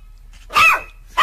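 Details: Playful, happy dog barking for fun: one loud, sharp bark with a rising-falling tone, then a second bark starting right at the end.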